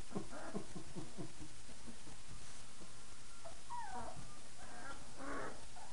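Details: Five-week-old puppies at play after their night-time feeding: a run of short, low yips and whimpers early on, then a thin, wavering whine that rises and falls, and a brighter squeal near the end, over steady background hiss.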